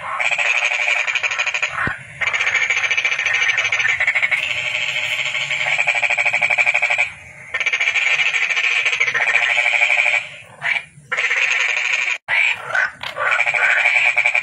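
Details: Toad calling in long, steady, buzzy trills of rapid pulses, several runs of a few seconds each broken by short gaps, with a sharp click near the start.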